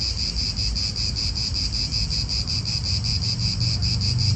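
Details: Cicadas in an Italian park, a steady pulsing buzz held at one pitch, partly masked by strong low wind rumble and passing car noise.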